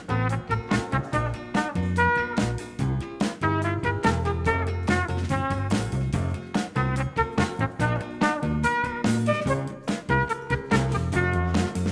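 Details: Upbeat swing jazz with punchy brass and rhythmic accompaniment plays throughout, with no animal sound audible.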